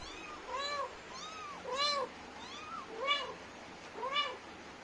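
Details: Mother Indian street cat Lilly chatting to her kittens: a run of about six short, bowed meows, each rising then falling, coming roughly every half second to second, some higher and thinner kitten-like mews mixed in.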